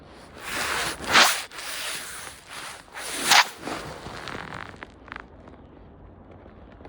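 Two harsh broadband rasping sweeps, like a zipper or fabric being rubbed, stand out over a low outdoor hiss, with no animal voice heard.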